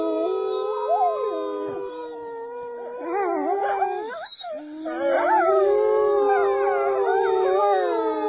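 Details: Wolves howling: several long, wavering tonal voices overlapping, sliding up and down, with a brief dip in the middle before the chorus resumes louder.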